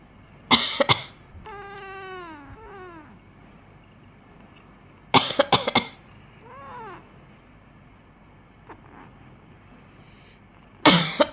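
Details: Pet cat reacting angrily when its owner coughs: after each burst of coughing, a drawn-out harmonic meow that rises then falls, a second shorter meow following the next coughs, more coughing at the end.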